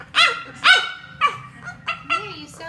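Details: French Bulldog making funny noises: five high, harmonic-rich yelps and squeals, some bending up then down in pitch, spaced about half a second apart over a faint low hum.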